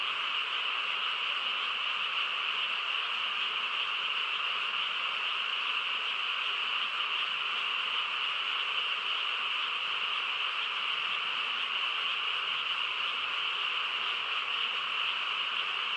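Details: Many frogs calling together through a still rural night, merging into a continuous shimmering drone of rapid croaks that holds an even level without pauses, two stacked pitch bands, and no wind, people or other animals standing out.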